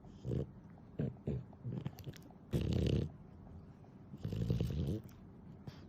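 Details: Nana, a pet dog described as clingy and affectionate, snoring, played back at ten times normal speed, so low, rough breathing bursts arrive quickly and unevenly, about every second or two, with quiet gaps between.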